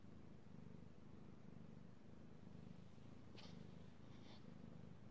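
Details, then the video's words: Pet cat purring under petting, recorded 16 March 2018; low rhythmic rumble pulsing about once a second, with two brief soft rustling or brushing noises near the end. "ASMR Cat Purring"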